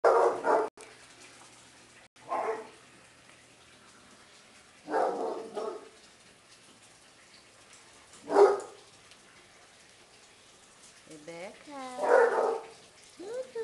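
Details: Basset Hounds at a kennel, several tricolour and bicolour dogs playing: deep single barks spaced a few seconds apart, then rising and falling bay-like howls near the end.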